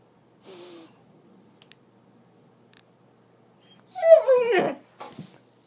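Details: Doberman, a female pet, whining indoors, upset that her owner was at work all day; a short faint whimper, then a loud falling yelping whine with noisy bursts, and a person speaking to her.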